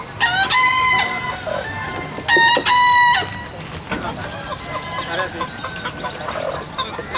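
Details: Bekisar roosters crowing at a bird-voice contest final in Surabaya on 28 April 2019: two long harmonic crows, each under a second, then fainter crows, over crowd noise, applause and music.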